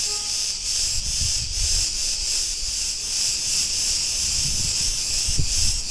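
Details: A shimmering, unbroken high buzz from many cicadas along a street in Ierapetra, Crete, Greece, throbbing in quick even waves, with a brief faint tone at the start and low traffic-like rumble.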